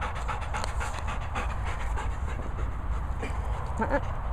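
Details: Labrador Retriever panting: rapid, steady, breathy huffs repeating several times a second, with low rumbling background noise and brief faint human speech.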